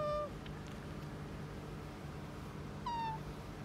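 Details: Household pet otter pressing for petting: two short, high, thin squeaks at the start and end of a quiet stretch, with low room hum between.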